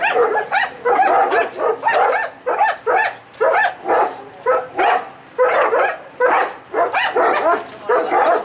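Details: Two house dogs, a dominant male Kuvasz and a bold Mudi, bark at a postman in house-guarding; dense, harsh barks follow almost without pause, roughly one per second, voices overlapping throughout.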